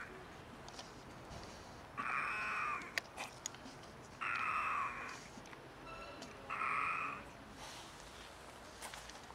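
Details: Stray cats, two of them unwell and one sick, making weird meows: three strained, nasal cries of under a second each, spaced about two seconds apart, with light ticking noises between them.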